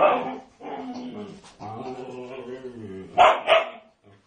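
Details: Female Siberian Husky vocalising loudly while attacking a pig: warbling, talk-like moans with bending pitch, followed by two quick sharp barks near the end.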